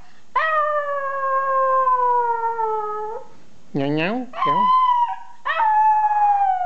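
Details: Louie, a small pet dog, howling in a back-and-forth 'conversation' with a person making funny sounds: a long steady tonal howl of about three seconds, then short swooping human-like vocal sounds answered by further sustained howls.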